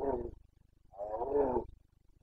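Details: Bucovina Carpathian stag in breeding season, late September 2022, Romania: two deep, moaning roars, a short one then a longer drawn-out bellow, over a steady low rhythmic pulsing background.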